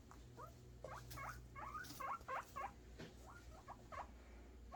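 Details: Happy guinea pig boars expecting food, giving quick clustered rising squeaks, several overlapping in a chattering run, then a pause and a few more, over a low steady hum.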